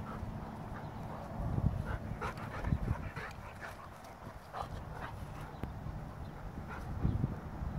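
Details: Goldendoodle and Bernese Mountain Dog playing together: low rumbling bursts, breathy huffs and scuffling, loudest in short clusters a second or so apart.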